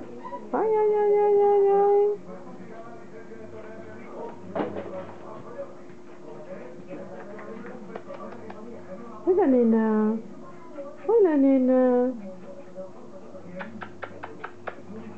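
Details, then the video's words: Border Collie puppies from Kim and Indi's litter at play: a long steady whine held over a second, then two sharp yelps that slide downward, with faint clicks, a steady low hum and soft voices between. "Cachorros de Kim & Indi jugando"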